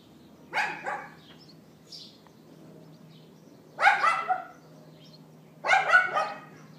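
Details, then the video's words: A neighbour's dog put outside and yapping, recorded by iPhone in April 2012 near midday: three bursts of sharp, harsh barks, each a quick double or triple, spaced about two to three seconds apart over a steady low hum. "Dog Yapping"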